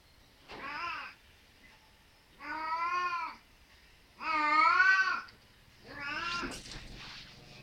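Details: Angora cat meowing as it looks for its mate: four drawn-out, wavering, tonal meows spaced about one and a half to two seconds apart, the third loudest and longest, against a quiet background.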